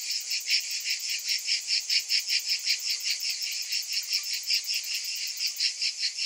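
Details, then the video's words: A summer chorus of cicadas, a shrill, continuous buzz that throbs in quick regular pulses, roughly two to three each second, with nothing else audible. "Cicadas in Summer"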